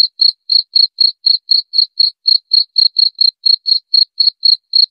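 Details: High, clear chirping of a cricket, regular short pulses roughly four each second at a constant pitch, with nothing else audible.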